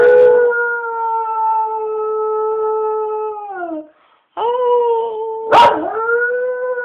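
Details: Pet dog howling in song-like fashion: a long, level, clear-toned howl that drops away after about four seconds, then after a short pause a renewed howl that dips and rises again, with one brief sharp knock.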